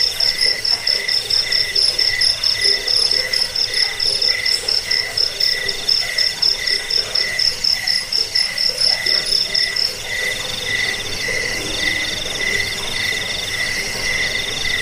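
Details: Crickets (jangkrik) used to repel rats, lull to sleep and train songbirds: fast, high pulsed chirps, about two per second, over a steady lower buzzing chorus; the loud pulsing stops after ten seconds, leaving the softer drone.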